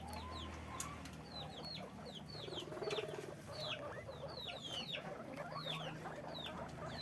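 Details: Guinea pigs in a cage on a guinea pig farm, squeaking: a busy chorus of short, high, down-slurred squeaks from several animals overlapping, over a low steady hum and faint rustling.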